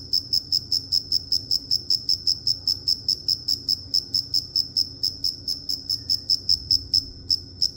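A cricket gives a steady run of high, pure chirps, each short and evenly spaced at about three per second. A faint low hum sits underneath.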